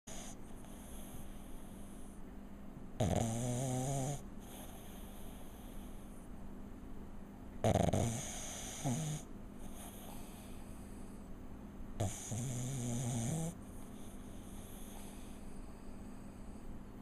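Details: Pug lying on his back indoors, snoring away. Three long rasping, rumbling snores with a wheezy harmonic buzz, roughly every four to five seconds, separated by quiet breathing and a steady background hiss.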